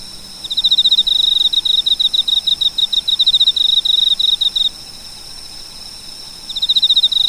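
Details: Cricket sound in quick succession: a long train of sharp, high pulses that stops abruptly, then resumes after a two-second silence, with light background hiss.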